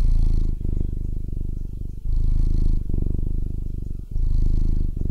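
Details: Fat cat purring: a deep, steady rumbling purr with regular pulses, swelling and easing in long phases of roughly one to two seconds as the cat breathes in and out.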